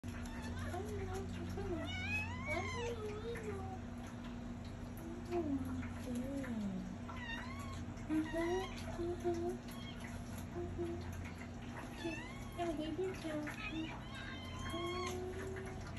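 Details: Young rescued kitten, hyper and playing nonstop, gives repeated short high meows that rise and fall, spread through the recording, over low steady hum and quiet human voices.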